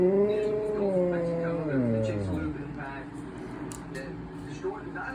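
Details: Indoor male Siberian Husky howling to demand that his owner get up: a drawn-out howl that slides steadily downward over about two and a half seconds into a low groan, then fades into quieter room noise.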